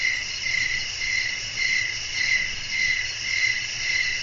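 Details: Night-time cricket chorus: shrill, continuous trilling pulses in a regular rhythm of roughly two per second, over a soft low background murmur.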